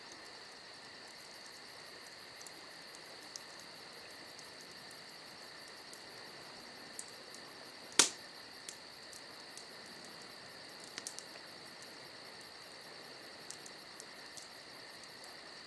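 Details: Crickets on a summer night: a steady high continuous trill runs under rapid, evenly pulsed chirps higher still, with soft pops and one sharp loud crack of crackling campfire near the middle.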